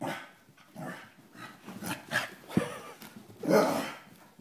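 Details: Kirby and Cricket, two dogs playing, trade rough growls and short yippy barks in quick uneven bursts, with a sharp knock midway and a louder snarling outburst near the end.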